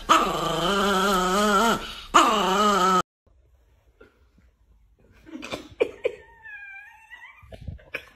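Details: Chihuahua in a funny dog compilation, indoors. A drawn-out, wavering, growly vocal with a strong stack of harmonics lasts about three seconds, then a pause and a few short, high yips and whines.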